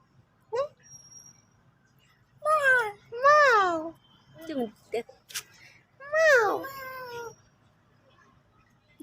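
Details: Pet cat, said to be sulking and playing indoors, gives three loud drawn-out meows that rise and then fall, each about half a second long, with a woman's voice speaking between them and a quiet low hum behind.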